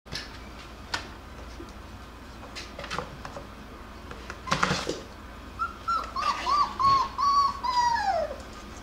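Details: Jackabee puppies, a Beagle and Jack Russell cross, indoors while playing and wrestling; scattered clicks and scuffles, then a drawn-out high whine that wavers and slides downward near the end, followed by short yelps.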